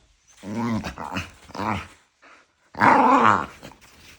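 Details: Two pet dogs, a bonded pair, yapping and arguing nose-to-nose in play with love bites; three harmonic growl-yaps in quick succession, a short pause, then one longer, louder rising growl.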